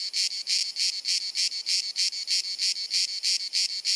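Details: Cicada singing on a hot sunny summer afternoon in Dalmatia, Croatia, recorded with a compact camera: loud, buzzy, high-pitched pulses repeated about three times per second in a steady, penetrating rhythm, with no other clear sounds.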